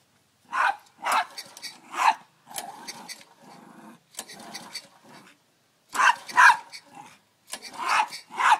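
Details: Dog angry at a lawn mower being pull-started, giving harsh growling barks in loud bursts: three quick ones, a run of rougher, lower snarls, then more forceful barks clustered after a short pause.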